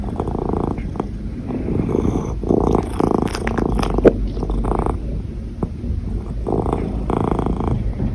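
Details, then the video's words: Domestic cat purring while hiccuping: low rumbling purr broken into bursts roughly every second, with small sharp catches between pulses. "Cat Hiccups with Purring"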